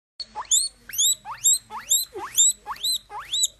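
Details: Guinea pig squealing: about seven loud, rising whistled wheeks, each sweeping sharply upward, repeated in quick succession roughly twice a second.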